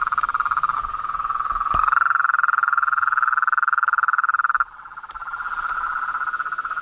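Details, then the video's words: Frogs and toads in nature, calling in a rapid pulsing trill that rises slightly in pitch, holds strongly, then drops off suddenly before a softer trill resumes. "Os sons dos sapos , rãs e perereca na Natureza"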